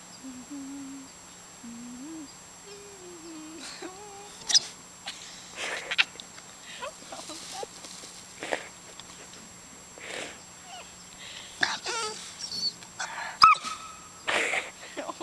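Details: A Labrador puppy making funny, weird noises, possibly barking at the camera, gives thin, wavering whines, then short squeaky yips, with people talking nearby.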